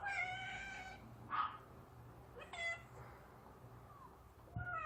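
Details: Yard cats fed pouch food, calling with a long harmonic meow, then short meows and a brief falling call, separated by quiet gaps, with a low background hum.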